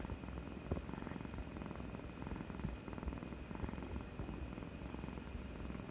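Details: Kuri, a pet cat, purring affectionately after getting through a vaccination injection, 18 March 2020; a soft, steady low rumble of fine rapid pulses, quiet and continuous indoors.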